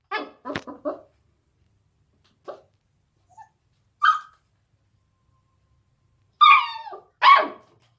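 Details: An 8-week-old beagle puppy barks at a deaf cat in bright, high-pitched yaps, first a quick cluster of three, then single barks, the last few longer and whiny with a howling edge.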